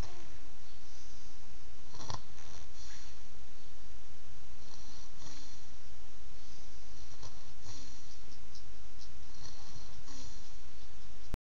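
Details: Sleeping Beagle's snores, recorded with an Android phone, rasping breaths recurring about every two to three seconds over a constant low rumble in a small indoor space.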